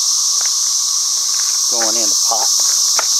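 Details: An unbroken high cicada drone keeps going under a person's brief speech near the middle.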